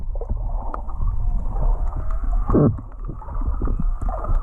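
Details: Underwater whale song off Kihei near Charley Young Beach, Maui, captured while snorkeling over a recovering reef: a brief louder descending moan near the middle, set against constant low water rumble and sharp crackling clicks.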